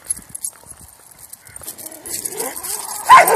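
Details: Cairn Terriers, four walked together on leashes, their leads braiding; after soft jingling and rustling comes one loud, sharp bark near the end while a person keeps repeating "no".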